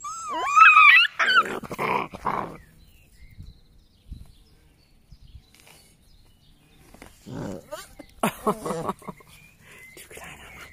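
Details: Rhodesian Ridgeback puppy, six weeks old, playing in a tunnel: a high, wavering whine opens, followed by short yelping bursts, then quiet rustling and more clustered yelps and whimpers near the end.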